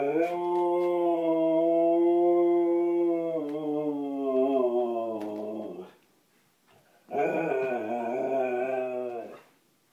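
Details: Pet Siberian Husky howling for its supper indoors: a rich, full-toned howl held level for about five seconds before sagging downward, a short pause, then a second similar sustained howl.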